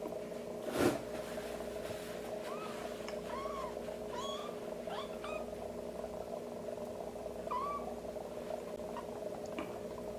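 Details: Young kitten being helped to defecate, a warm wet wipe tapped at its rear; about six thin, high, short arched mews scattered through, over a steady electrical hum, with a soft handling thump near the start.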